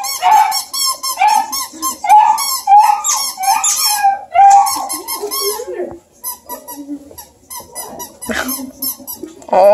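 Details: Baby Bluetick Coonhound puppies and a Redbone pup near Kingston, Ontario, Canada, romping together and letting out many squeaky chirping whines and yelps in busy bursts, which thin to scattered squeaks toward the end.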